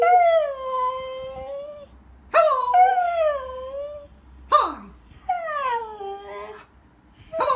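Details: Pet husky howling in reaction to its owner's Mickey Mouse voice imitation, which it dislikes: long, drawn-out, tonal howls that fall in pitch, three main calls with brief sharp yelps between them, recorded indoors.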